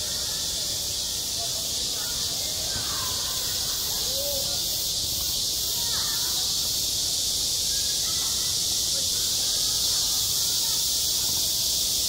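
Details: Midsummer cicadas droning over a school sports ground, an even, shrill continuous hiss throughout, while faint faraway voices and short rising chirps come and go in the background.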